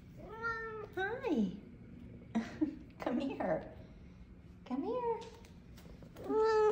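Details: F2 Savannah cats, happy and greeting their owner home from work, give several meows, some with a falling, drawn-out tail, mixed with a woman's soft spoken greetings.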